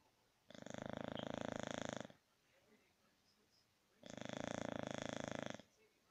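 An English Bulldog snores loudly, with long rasping breaths about four seconds apart.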